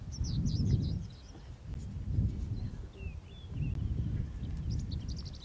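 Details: Resident male lion bringing order to his pride during a scuffle at a kill, Masai Mara. Three low, gruff bursts about every one and a half seconds rumble under scattered high bird chirps.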